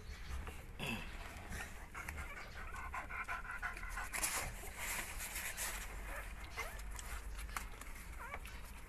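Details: American Bully during whelping, a litter from the line of Brody, grandson of Godzilla; steady rapid breathy panting bursts repeat through the clip, with a few faint high whimpering squeaks and low room rumble beneath.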